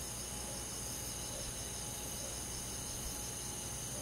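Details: Crickets with other forest insects on a summer night in the countryside, giving a constant, high, finely pulsing trill that blends into a continuous chorus over steady low-level hiss.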